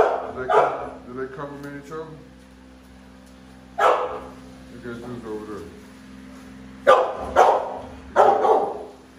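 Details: American Bully Pitbull from a pair of big dogs, with scattered loud gruff barks, including a quick double bark near the end, mixed with softer vocal sounds and murmuring between them.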